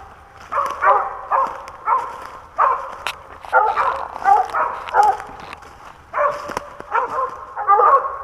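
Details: Squirrel-hunting dog in the Pennsylvania woods, 2021, day four of the series, barking steadily: about a dozen rough, clipped barks at uneven intervals of half a second to a second, with nothing else competing.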